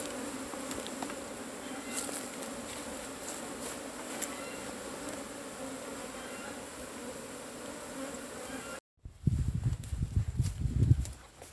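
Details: Asian honey bees droning at a cavity hive being harvested: an even buzzy hum for most of the recording, then an abrupt cut to rumbling, low handling noise.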